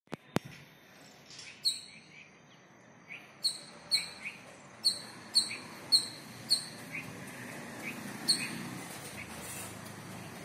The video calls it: Squirrel calling partner video.